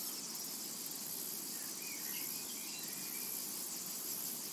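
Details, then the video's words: Summertime meadow with cicadas producing a constant high-pitched sizzling buzz, steady in loudness, plus a couple of faint bird chirps midway. "Summertime and Cicada Ambience"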